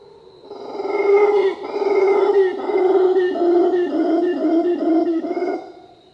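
A howler monkey gives a deep, sustained roaring howl with rough, throaty pulses.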